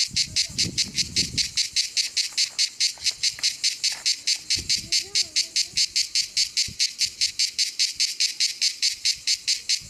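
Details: A cicada at the Rocher du Sampzon in Ardèche sings a steady series of rapid, harsh, high-pitched pulses, about four or five each second.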